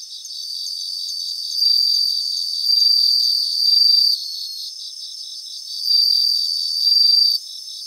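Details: Several bell crickets singing in a grassland: a steady, high, bell-like shimmer with louder ringing trills about one second long, rising out of the chorus around two, three, four, six and seven seconds. No other sounds are heard.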